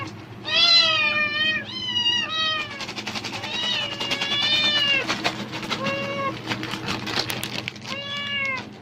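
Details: Domestic cat meowing eagerly in reaction to rustling plastic bags, apparently expecting food; a series of harmonic, rising-falling meows, some long and drawn out, with crinkling bag noise between them and a steady low hum behind.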